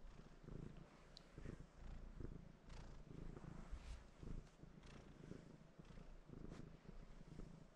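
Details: Domestic cat sitting on its owner and purring while wanting to be petted; a low, steady rumbling purr swells and fades in soft pulses about every second, with faint clicks and rustles close by.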